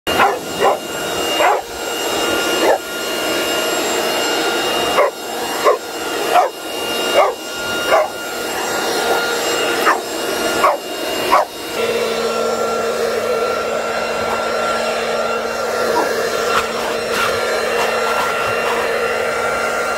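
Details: Boxer dog playing with a leaf blower and a pile of leaves: about a dozen sharp barks in quick bursts over the steady roar of the blower, which then drones on alone with a low hum after the barking stops.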